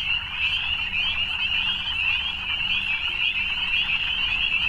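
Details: Evening chorus of frogs: countless high, shrill trills blend into one continuous shimmering band of sound at an even volume, over a faint low hum.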